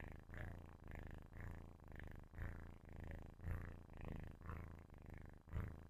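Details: Deep, rumbling purr of a sleeping kitten recorded up close, rising and falling in even breath cycles of roughly one second, with a soft raspy texture throughout.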